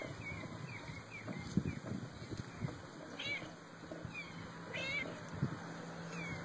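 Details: Three found kittens playing among flower pots give thin, high mews with rising and falling tones. Short calls come in scattered bursts, with the clearest pair near the middle and end. Rustling and a low background rumble run throughout.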